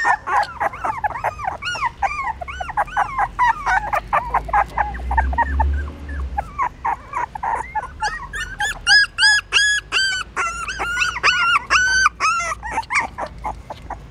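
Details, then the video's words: Newborn puppies suckling their mother's milk in the stupa of a pagoda in Siem Reap, Cambodia, hungry and trying to feed; a dense stream of high, arching whimpers and squeaks from several pups overlapping, with a low rumble beneath. "Amazing puppies sucking mom milk that is natural feeding"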